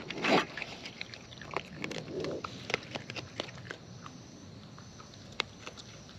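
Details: Raccoons feeding in the wild, chewing close up: a loud crunch at the start, then scattered snapping bites and soft smacking that thin out toward the end over faint hiss.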